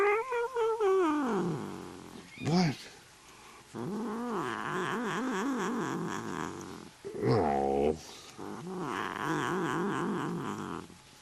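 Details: A neutered male Desert Lynx hybrid cat, playing and "talking", yowls in long, wavering calls that rise and fall like a warbling chatter.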